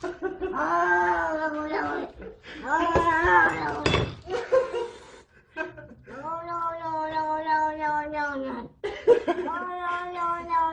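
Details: Domestic cat making weird noises while a person talks to it: long, steady, tonal meows held for a second or more, mixed with human speech and a few clicks and bumps.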